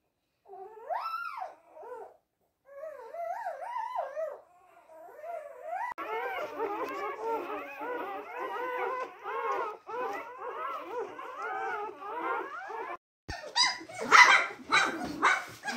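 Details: Newborn mixed-breed retriever puppies (Lab mix, called Teddy retrievers), from day one to nine weeks, crying: thin rising-falling whimpers at first, then many overlapping squeals and whines from several pups, ending in louder harsh bursts.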